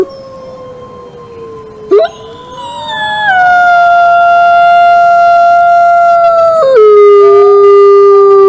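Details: Wolf howl that starts faint and steady, then after a brief sharp sound swells into a loud, long, smooth tone with layered voices. The pitch steps down noticeably near the end.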